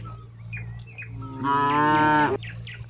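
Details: Among hundreds of cattle grazing across broad rice fields, a cow calls its herd mates home at dusk; a single strong, steady moo lasting under a second, preceded by scattered bird chirps over a low steady hum.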